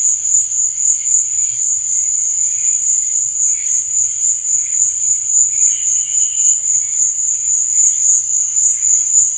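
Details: Chirping crickets at night form a steady, piercing high trill without pause, while quieter, lower pulses of chirps come and go in the background.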